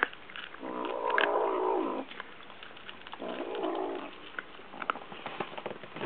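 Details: Two Munchkin kittens eating side by side, one growling a low "woo-woo" when touched during the meal, as if afraid its food will be taken; two drawn-out droning growls about a second each, with clicking and eating noises between.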